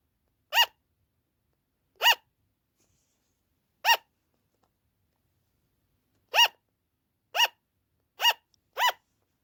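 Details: Loud "an an" yapping from a pet sugar glider, a call that often lasts long and starts at night or while the owner is away: seven sharp nasal barks at uneven gaps, the last three quicker, in a quiet room.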